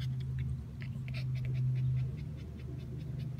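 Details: Shih Tzus Jack and Jill on a hot summer day, panting in short, uneven breathy bursts while a voice repeatedly asks if they are tired and thirsty; low steady hum underneath.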